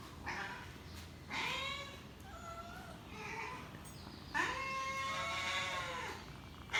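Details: A hungry cat gives loud, rising-then-falling meows, one short and one long, stretched wail near the end, over a steady hissing background.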